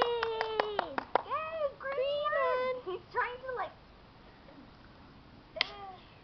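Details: Keeshond puppies let out a quick run of sharp squeaky yelps, then wavering whines that rise and fall, before a quiet pause and one last high yelp.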